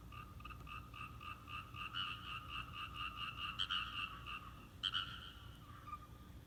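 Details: Frog chorus in a rice paddy in Japan during a visit home: dense rapid pulsed croaks repeating roughly every quarter second, steady throughout with a few louder bursts near the end.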